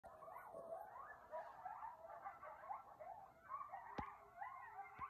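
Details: Several coyotes howl together at 2 am under a full moon, close enough to seem in the backyard, outside a bedroom window; their wavering, sliding wails overlap in a yipping chorus, louder than usual.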